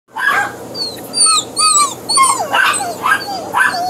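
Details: Lonely Great Dane puppy whining after being left alone when his two brothers were sold; a rapid series of high, thin whimpers and squeaky whines, rising and falling, with short yips between.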